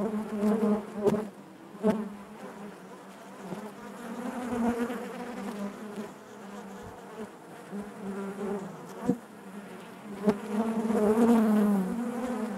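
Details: Steady droning hum of many honey bees within the hive, rich harmonics wavering in pitch, loudness pulsing up and down, with scattered short clicks and a brief higher whine toward the end.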